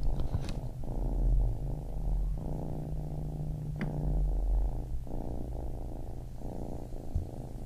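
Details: Low, vibrating purr from a young kitten, rhythmic rumbling in phrases of about one to one and a half seconds, over a faint steady hum and an occasional light tick.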